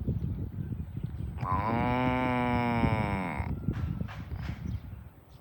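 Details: Farm cow mooing while being herded to the barn: one long, drawn-out moo of about two seconds, steady and slightly falling at the end, over a background of trampling hooves and rustling.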